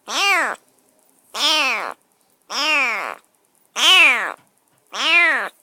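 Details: Rescued stray kitten, semi-wild, shut in a cage in a new home after a bath and dinner, meowing persistently: five long, strident meows arching up and down in pitch, roughly every 1.2 seconds, quiet between calls.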